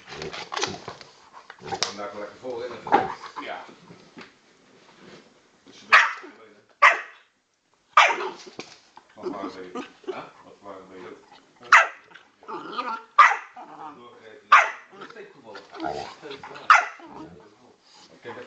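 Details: Two dogs play fighting indoors: a 10 kg Old English Bulldog pup and a 40 kg Bullmastiff cross male. Sharp, loud bark bursts recur every one to two seconds among rough growly noises, with people talking throughout.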